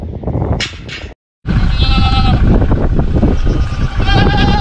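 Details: Boer goat, a South African breed, on a farm in Brazil's northeast, giving wavering, harmonic bleats after an abrupt cut, with a second shorter bleat near the end over heavy low rumbling noise.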